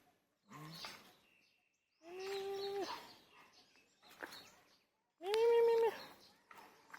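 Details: A hungry male cat about three years old, the largest in its village, gives two drawn-out, level, tonal meows about three seconds apart, with faint rustling between them.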